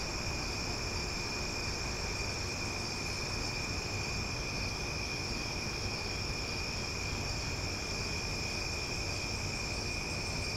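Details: Night chorus of cicadas in Omaha, described as loud yet relaxing: an unwavering high-pitched ringing that never breaks, accompanied by a persistent low background rumble.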